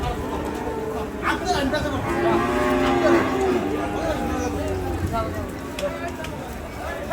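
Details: Large Sahiwal cow being unloaded from a truck, giving a drawn-out low harmonic moo amid a noisy crowd of people talking and shouting.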